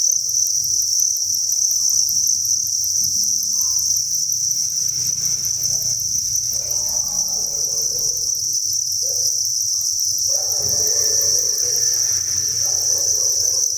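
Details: Cricket chorus in a farm breeding facility, with thousands of crickets giving a constant shrill high chirring, accompanied by soft low rustling and murmuring sounds.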